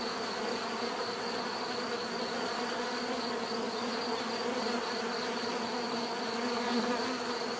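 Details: Continuous drone of many bees, a thick steady hum with overlapping tones that swell slightly, unbroken throughout, nothing else distinct.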